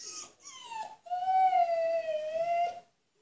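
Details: Husky, a female kept in an enclosure as punishment, calling to be let out: a long drawn-out tonal howl, briefly broken at the start, then a steady sustained note gently falling and rising before fading, in a small room.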